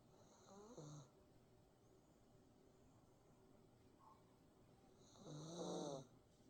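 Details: Kongi, a Maltese dog, snores while sleeping with eyes open: two snores about four seconds apart, each a rough, rumbling breath with a wheezy, whistling hiss above it, and a short, soft sound between them.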